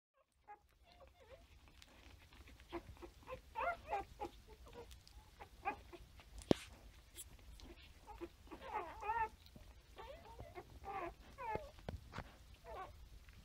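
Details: Standard Poodle puppies about three days old, nursing together: a litter's busy chorus of squeaky whimpers, grunts and short high mews overlapping throughout, with soft suckling and shuffling sounds.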